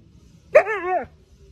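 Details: Siberian husky reacting to a lighter it doesn't like: one short, wavering, whining vocal of about half a second. It starts sharply, holds a harmonic tone, then slides downward at the end against quiet surroundings.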